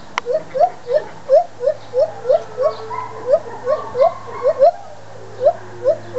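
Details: Two white-handed gibbons at the Toronto Zoo howl in a fast series of short, rising hoots, each swooping upward in pitch.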